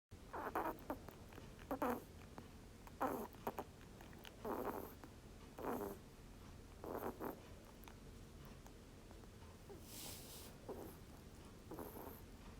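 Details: Rabbit snoring, recorded clearly: a run of raspy, noisy breaths roughly every 1.2 seconds, each a short hoarse burst, some followed by faint hissing exhales, over a quiet indoor background.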